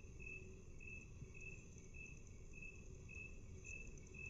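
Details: Half-speed playback of a chirping cricket, with evenly spaced high pulses about every half second and nine or so in sequence, set against steady low rumbling noise.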